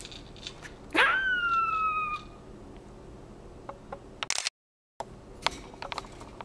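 A squirrel lets out one piercing, whistled squeal, starting abruptly and drawing out for about a second as it sinks slightly in pitch. Scattered soft clicks and taps follow in an otherwise quiet room.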